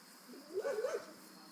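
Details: Maximus, a six-week-old German Shepherd puppy, whimpers while playing: one short whiny cry under a second long that wavers up and down in a small arc, over a steady faint background hiss.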